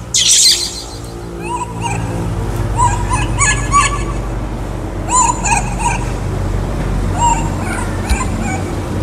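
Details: Hungry for fruit, the baby monkey Kaka gives repeated high, bending squeals in uneven bursts every second or two, over a steady low hum and occasional hissy noise.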